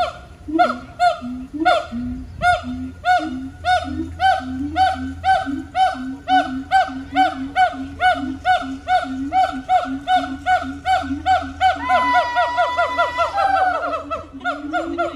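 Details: Siamangs (Symphalangus syndactylus) at the Honolulu Zoo, Oahu, Hawaii, on 15 September 2022 sing in loud, rhythmic hooting barks repeated more than twice a second, rising into whooping calls.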